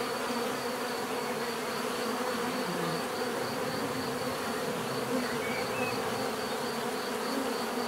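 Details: Bees buzzing in a dense, steady drone of many wings, a continuous hum with layered bands of tone and no breaks, filling the whole stretch without pause.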